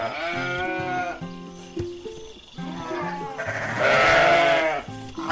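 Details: Bleating sheep, kept for wool, milk and meat, with a shaky call early on and a louder, longer bleat near the end, all set against background music.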